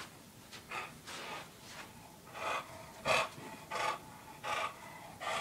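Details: Porkchop, a male English Bulldog, scampers around a condo hunting for pizza, snorting in short, breathy bursts, about seven in five seconds, each a rough hiss rising and falling.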